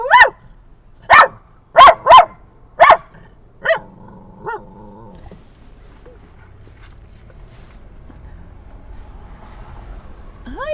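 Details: Dog at a San Diego dog park, sunset, barking at other dogs it treats as friends: a run of six sharp barks spaced irregularly over four seconds, then fading softer yips and quiet background.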